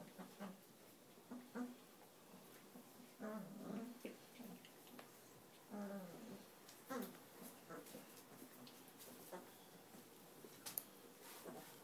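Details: Cane Corso mix puppies aged 22 days: a run of low, short whimpers and grunting squeaks, several with stacked harmonics, coming every second or so in a small room.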